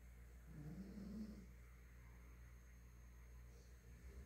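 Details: Nina, a female Pinscher dog kept as a family pet, snoring while asleep: one low, rough, slightly rising snore lasting about a second, then quiet breathing over a steady electrical hum.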